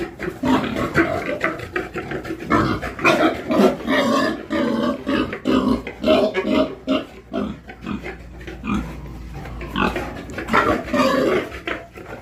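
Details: Pigs on a farm, a steady stream of rough, nasal grunts and snorts repeated about twice a second, overlapping from several animals, with no other clear sounds.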